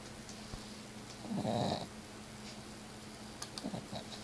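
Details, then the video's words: Pet cat Miss Piggy snoring while asleep, recorded on an Android phone: one rough, raspy breath lasting about half a second against steady low room hum, with faint clicks near the end. "My Cat Miss Piggy snoring"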